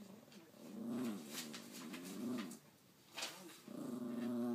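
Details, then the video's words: Domestic dog indoors appearing to talk, trying to tell its owner something: three drawn-out, wavering moan-growls, each about a second long with a rising-falling warble, separated by short pauses and a click. "Talking dog"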